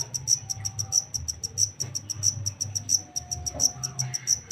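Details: Shrill, evenly spaced chirps from a wild-caught black cricket, louder pulse groups recurring about every two-thirds of a second above a low droning background.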